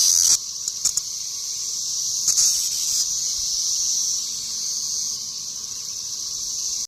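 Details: Massed cicadas, locally called locusts, swarming all over the trees in western Kentucky: a continuous shrill whine from countless insects, with a few short louder bursts and clicks in the first half.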